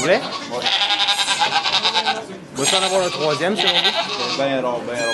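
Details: Goats during the birth of two kids in a sugar shack in Quebec, Canada: long, high, wavering bleats in three bursts, with French speech close by throughout.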